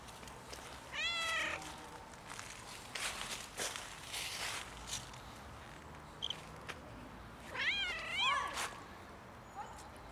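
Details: Outdoor cat suffering in the winter cold gives a bright, wavering meow early on, then a pair of quick, rising-falling meows close together later, with intermittent rustling and clicks between.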